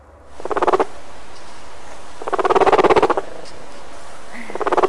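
A guinea pig purrs in short, buzzing bursts of rapid pulses, a sign it is happy and comfortable.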